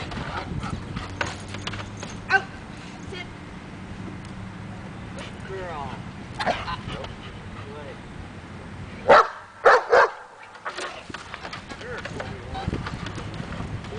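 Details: Daja, a dog in agitation table training meant to draw out confidence and barking, barks in a short double and triple burst late on, after a stretch of talking and handling noise.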